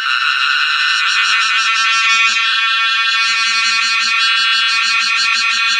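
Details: A cicada, newly emerged from years underground to mate in summer, sings a loud, unbroken, shrill buzz that pulses slightly in texture throughout.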